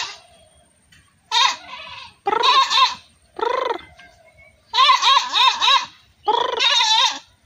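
A goat bleats repeatedly, loud quavering cries with short pauses between them.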